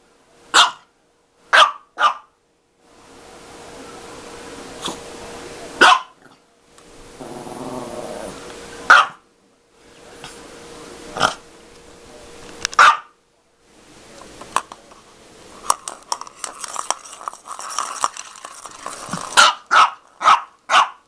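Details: A dog plays with a cat toy indoors, barking in short sharp bursts, often in twos and threes, separated by stretches of rustling and growly scuffling, with a quicker run of barks near the end.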